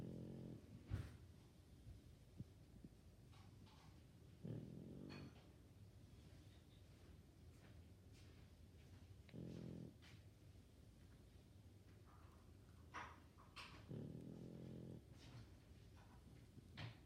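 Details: Sleeping pug snoring: low rumbling snores come in bursts about every five seconds, with soft breathing between them and a few faint clicks and rustles in the quiet room.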